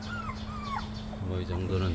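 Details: Jindo puppies, offspring of the dogs Baekseol and Heukgom, with their mother lying nearby: thin, high whistled whimpers that slide downward, two drawn-out falling whines in quick succession, then a man's voice and a steady low hum.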